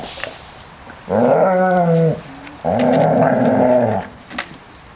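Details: A puppy playing in a kennel courtyard on 30 January 2013, 14 °C; two sustained harmonic growls, each about a second long, rising slightly then falling, with light knocks around them.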